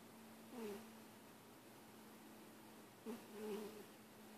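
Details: Young male pet cat purring with a wheezy sound: a faint, steady low hum with two brief, louder raspy breaths about two and a half seconds apart.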